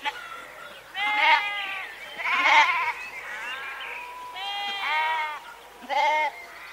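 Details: Several sheep bleat in turn, short and longer quavering baas spaced about a second apart, some overlapping, against a faint steady background hiss.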